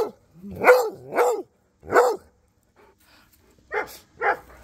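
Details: Rhodesian Ridgeback named Cody exchanging barks with Duchess and the neighbour dogs: a run of three loud, rough barks, a pause, then two softer, sharper barks further off.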